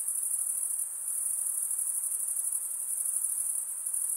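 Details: Night insects calling after dark: a dense, steady high-pitched shimmering drone with a fast pulsing texture, unbroken for the whole stretch, with faint softer hiss lower down and no other clear sounds.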